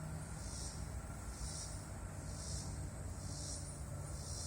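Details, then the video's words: A very large bug gives loud, high buzzy pulses, each swelling and fading, repeated about once a second over a steady low rumble like distant traffic. "Huge bug making loud sound."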